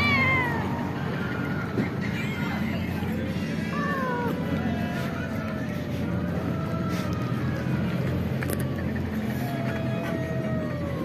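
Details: Cats and kittens that live at home meow while being fed, giving several short, bending, mid-pitched cries spread across the clip over a steady low rumble and faint background sound.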